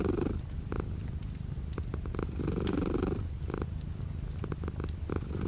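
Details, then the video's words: Low, continuous purr of a cat indoors with light rain beyond the window; the rumble rises and fades in gentle breathing swells while sharp raindrop clicks patter irregularly throughout. "The sound of a cat purring with light rain outside the window"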